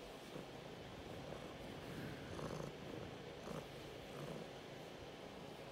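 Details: Male domestic cat purring while demanding to be petted and scratched: a soft, steady low rumble with gentle rhythmic pulsing throughout, quiet and close, over faint background hiss.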